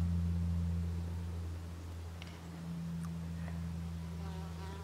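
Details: Common wasp (Vespula vulgaris) watched in the wild, producing a continuous low hum with a deep tone and a clear higher overtone. It is loudest at the start, with a faint tonal sound and soft clicks near the end.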